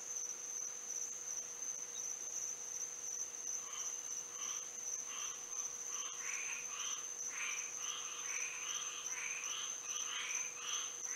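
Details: Frogs singing at night under moonlight in Florida: a scattered chorus of short, bright chirping notes rising in number after a quiet start, over a steady high insect-like whine and a faint low hum.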